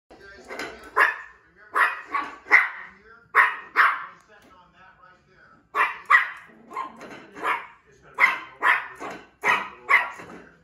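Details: A one-year-old female Yorkshire Terrier fussing at a bowl lets out sharp, high-pitched yaps in quick bursts of two or three.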